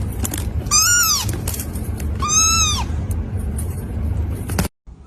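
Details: Cat meowing twice, each meow a clear arching tone with rich harmonics, over a steady low rumble of sea and waterfall noise; a brief dropout near the end.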